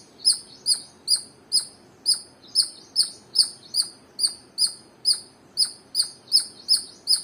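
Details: Squirrel repeating shrill, clipped chirps, about seventeen in quick succession at roughly two and a half per second, sharp-edged and fading quickly after each note, over quiet background.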